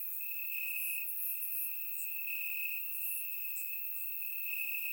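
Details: Crickets in Bulgarian grass on a warm summer night, recorded in surround sound, give a constant piercing trill that brightens briefly now and then, accompanied by faint very high chirps from other insects.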